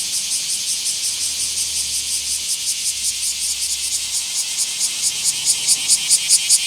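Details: Bear cicada in a small park, 24 July 2026: loud high shrill buzzing in rapid regular pulses, growing sharper and more clipped toward the end, faint low hum beneath.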